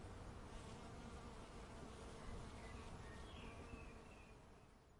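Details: Bees in a suburban backyard give a steady, low droning buzz, with faint distant bird notes.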